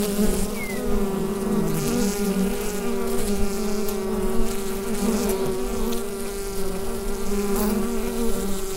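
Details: Inside a beehive, recorded with a Rode NT-USB microphone, a constant low, rich humming from many bees holds steady throughout, with one faint, short birdlike chirp early on.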